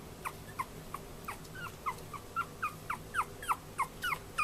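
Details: Chihuahua puppy, a male born 14 February 2013, kept at a pet shop in Yokosuka, Kanagawa Prefecture, Japan, whining in a quick run of short, high, falling whimpers about three per second, growing louder toward the end, with a low background hum.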